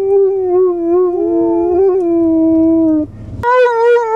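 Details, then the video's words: Liam, an Irish Wolfhound, 'singing' in a long, steady, clear howl that wavers slightly in pitch for three seconds, a short pause, then a higher sustained howl begins. "Liam the singing Irish Wolfhound"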